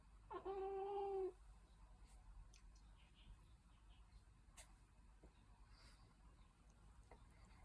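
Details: Young domestic cat, a dragon li kitten in Hangzhou, Zhejiang, China, gives a single drawn-out meow lasting about a second, steady and harmonic-rich, followed by quiet room noise with faint clicks.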